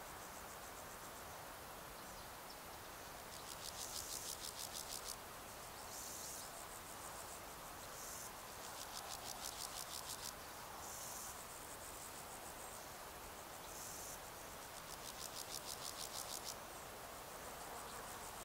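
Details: On 15 July 2019 in the Sierra de Gredos, a long-winged male meadow grasshopper (Pseudochorthippus parallelus erythropus) gives his calling song: bursts of fast, buzzy rasping lasting 1–2 seconds, every few seconds, with shorter scrapes between, over faint hiss.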